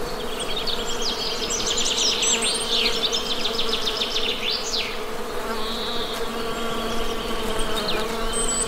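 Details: A continuous low drone from honey bees runs unbroken throughout, overlaid by lively bird chirps, rapid trills and short whistled notes that come and go across the recording.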